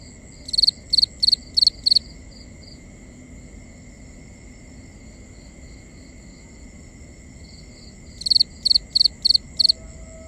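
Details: Night crickets in binaural ambience: a run of five rapid, high, pulsed chirps, then several seconds of quiet with only steady thin insect tones, then another burst of five chirps near the end.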